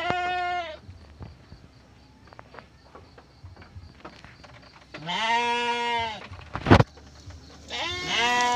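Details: Bleating from a restless Garut sheep ewe in labour on a Ramadan morning, a birth that produced triplets: a bleat cut off at the start, a long quavering cry around five seconds in, a sharp knock, then another bleat over a steady low hum.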